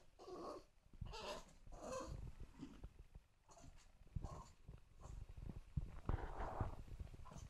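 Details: Two-month-old English Bulldog puppy Lana cries because she wants to get up on the sofa: short, noisy whining bursts, about six in under eight seconds, with snuffly breathing between them.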